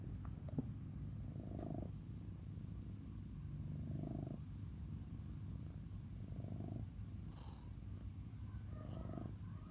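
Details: Domestic cat purring steadily, a low continuous rumble with soft rhythmic swells roughly every two and a half seconds as it breathes in and out; quiet background otherwise.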